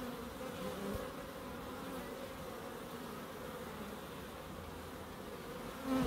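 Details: Small garden in Crookes alive with bees, their low steady drone constant for six seconds, growing louder right at the end as one comes near.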